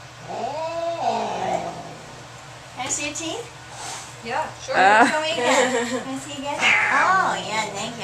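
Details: Cat angry at the vet, freaking out on the examination table: rising-falling moaning yowls and wavering wails, overlapped by people talking in a small room.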